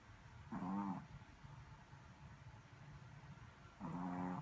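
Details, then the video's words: Sleeping Shih Tzu puppy snoring: two short, throaty nasal snores about three seconds apart, each lasting roughly half a second, with soft background hiss between them. "#shithzu #snoring"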